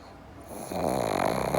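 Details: A sleeping pug, Java or Morgan, starts a snore that swells from quiet breathing into a rough, fluttering rattle, cut off while still building.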